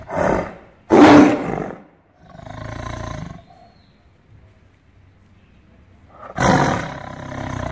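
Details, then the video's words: Angry tiger kept in a cage, roaring in repeated harsh, broad bursts: two quick blasts, a longer lower rumble, a long pause, then another forceful roar. "Caged Tiger Roar with ANGER"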